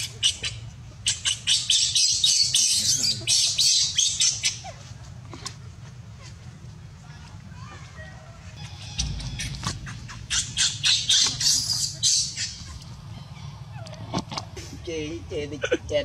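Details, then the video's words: Young monkey named Luno cries after being refused milk by its mother, who warns it away. Two stretches of loud, grating squeals in fast runs with a quieter gap between, plus faint scattered clicks and a low hum. "Very sad see poor Luno crying by mom warning deny milk"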